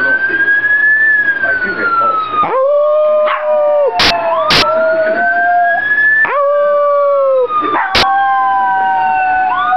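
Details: Fergie, a female pet Pomeranian, howls in response to a passing police siren. Long, steady, tonal howls come in two bouts between loud, sweeping siren wails that dominate throughout, with a few sharp clicks.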